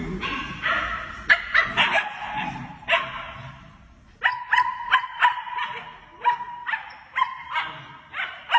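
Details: German Shepherd puppies giving a run of short, high yips and whimpering barks, clustered bursts with brief pauses, several overlapping voices, with some low background rumble.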